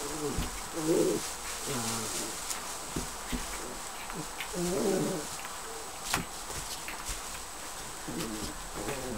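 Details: Border Collie pups almost eight weeks old, together for a last night in a kennel whelping box freshly filled with straw, playing: short low grumbling whines and growly yips in clustered bursts, with straw rustling and scattered clicks.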